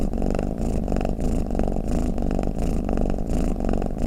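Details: A pet cat purrs and snores in a continuous deep vibrating drone, rising and falling in regular breath cycles a little more than once per second, with a soft raspy edge on the louder phases.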